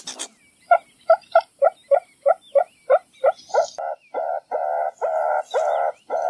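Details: Meerkat giving a series of short, tonal, nasal calls roughly three per second, later stretching into longer, steadier notes with a faint higher squeak now and then.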